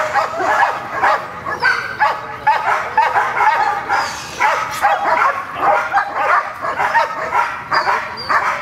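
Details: During protection training with a new decoy, the female dog Gold keeps up a busy stream of short, pitched yelps and whiny barks, irregular and tightly packed, with a few brief higher squeaks.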